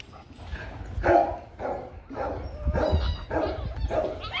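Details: During the mating of Rottweilers Loki and Siro, strained whimpering yelps rise and fall in uneven bursts, about one every second, over a low rumbling background.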